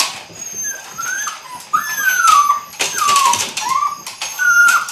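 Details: Eight-week-old Belgian Malinois puppies, Android Whiteline Czech x Mason's AnnieLou litter, beginning bite work, letting out long drawn whines that glide smoothly downward, one after another, with faint clicks and rustling behind.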